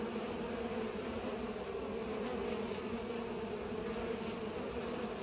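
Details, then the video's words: Several bees at work pollinating, their wings making a dense, level humming drone that never pauses, with slight wavering in pitch. "Bees are pollinating"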